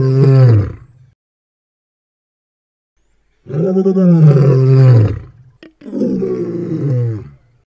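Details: Lion giving low, rumbling roars: a fading roar at the start, then after a silent gap a heavy two-second roar, a brief break, and another shorter roar tapering off.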